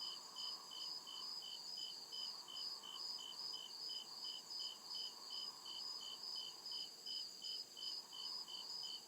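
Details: Crickets calling in a dark forest at night, producing quick evenly spaced high chirps without pause across nine seconds, backed by a continuous thin insect whine and a faint lower rumble.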